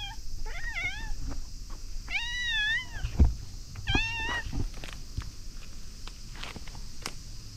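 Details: Coaxed out from beneath a bridge to be petted, the cat meows repeatedly in quick succession, several wavering, bending calls about a second apart, mixed with rustling, thumps and a steady outdoor rumble.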